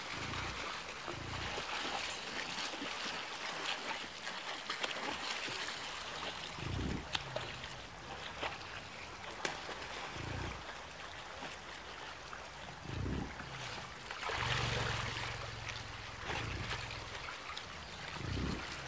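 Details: American bison, part of a herd of over 60 animals, crossing a dangerous river in Yellowstone National Park during autumn migration to winter feeding grounds; deep, low grunts recur every few seconds, one longer and drawn out, over steady rushing water.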